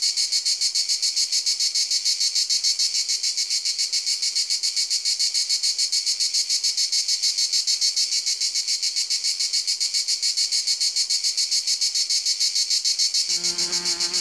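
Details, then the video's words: Sustained high, bright cricket trill of evenly spaced pulses, roughly three to four per second, steady throughout; a short low tonal sound enters in the final second. "cırcır böceği"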